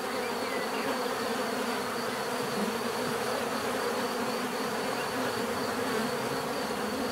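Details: Bees buzzing together in a thick, even drone, a persistent hum with a thin high tone on top and a few nearer bees flitting by.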